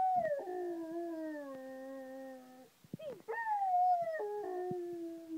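A Rottweiler howls in long, wavering tones that slide gradually downward, breaking and restarting mid-phrase.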